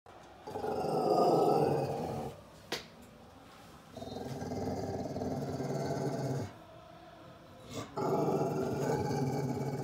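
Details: Lizzie, a rescued Staffordshire Bull Terrier and Rhodesian Ridgeback cross, guards her wheelchair-bound owner against a suspicious stranger outside the door: long, deep, rumbling growl-barks in sustained bursts of several seconds, separated by short pauses.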